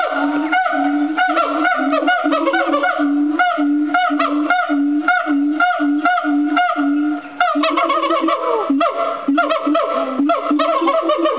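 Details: Agile gibbon in song at Fota Wildlife Park, a captive animal giving steady, evenly spaced hoots about twice a second, then a burst of rising, swooping notes before the regular hooting resumes.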